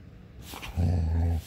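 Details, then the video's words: German Shepherd vocalizing while wanting to play: one low, rough, growling sound lasting under a second, rising in loudness then held steady, with a brief scuffling noise just before it. "German Shepherd , Let go to play"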